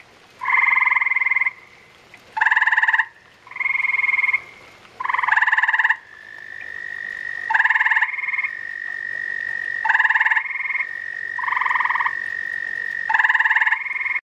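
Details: Several gray tree frogs call during spawning. Many pulsed, buzzy trills come in quick succession and sometimes overlap. Behind them a thin, steady whistled tone runs through the second half.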